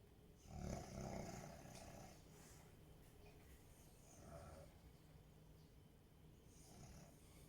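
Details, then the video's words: Sleeping Rottweiler snoring quietly indoors, one low rasping rumble near the start, then fainter breathy snores against a soft background hiss. "Храпит ли Ротвейлер."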